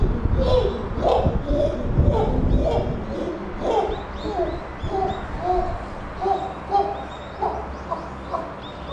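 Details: Puteri, a captive chimpanzee at Tennoji Zoo, December 2021, gives loud overlapping wailing cries in the first three seconds, then shorter tonal whimpering notes at irregular intervals. Faint high twittering sits above throughout.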